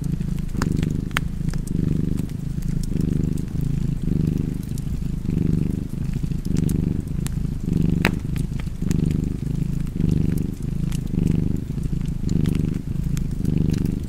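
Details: Domestic cat purring steadily beside a crackling fireplace, the low rumble swelling and fading in breath cycles roughly once a second, with sharp fire pops and crackles scattered throughout.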